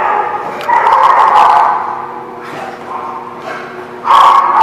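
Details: Several dogs at The Barking Lot on December 16, 2017, howling together: long drawn-out wails that rise, hold, then drop away before a fresh loud surge near the end, with ragged yelping edges.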